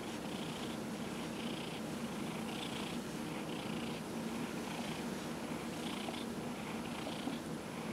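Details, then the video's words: Dillard, a 15-year-old cat treated for small cell lymphoma, purring through a massage: a continuous low rumble beneath rhythmic brushing strokes roughly every second. "Dillard the Cat -- Massage"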